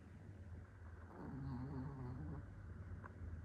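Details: Chihuahua snoring while dreaming of a walk: low rumbling breaths with a soft nasal rise and fall over a few seconds, no other sounds.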